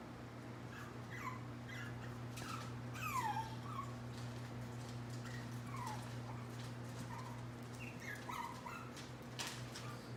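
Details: Chihuahua puppies from a litter of three, lavender merle Solo, black tri Banjo and light fawn merle Reed, filmed August 21, 2018; high, short descending whimpers and yips come in scattered bursts over a steady low electrical hum.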